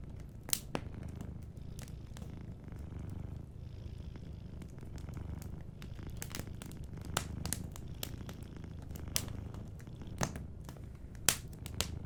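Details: Sleeping cat purring softly beside a fireplace: a steady low rumbling purr runs throughout, with frequent sharp crackles and pops from the burning fire.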